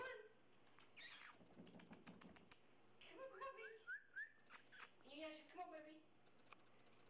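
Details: Husky puppies at play give high, sliding whines and short howls, with a man's voice and scuffling nearby.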